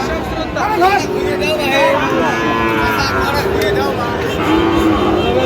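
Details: Sahiwal bull calf at Raniganj cattle market, Ghoraghat, Dinajpur, Bangladesh, recorded 13 November 2025; drawn-out lowing moos with clear harmonics rise over a busy crowd of voices and market chatter.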